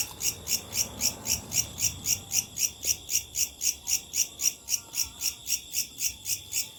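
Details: Locusts at night give a dry, high, buzzy pulsing, about four evenly spaced bursts each second.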